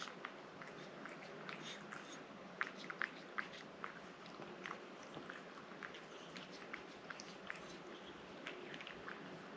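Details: Pet cat eating a moist treat indoors, giving quiet, irregular clicky bites and wet chewing noises scattered through the clip over a soft steady background hiss.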